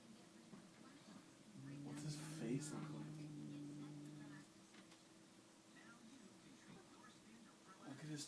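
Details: Pet cat Rex indoors, reacting to the household's new cat Steve with a weird noise: a steady, low, droning tone held about three seconds, flat in pitch, with people talking softly nearby.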